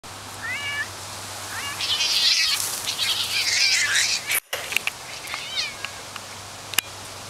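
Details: Two housecats in a play fight, a large male chased by a smaller female; short bending meows rise and fall in pitch, broken by a loud burst of scuffling and hissing noise and a sharp click.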